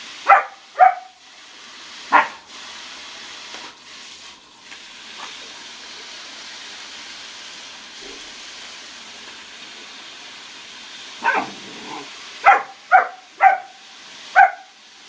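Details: German Shepherd puppy around a pool: sharp, harmonic barks in short bursts, a pair at the start, a single bark near two seconds, then a quick run of five barks after a long quiet stretch, with faint room-like background.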